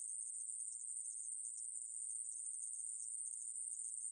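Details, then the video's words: Conehead katydid (aemaeburi) recorded by Korea's National Institute of Biological Resources, 2020: an unbroken, high, hissing buzz held steady for the whole four seconds, with no pauses and no other sounds. "애매부리, 여러번 듣기, 곤충소리"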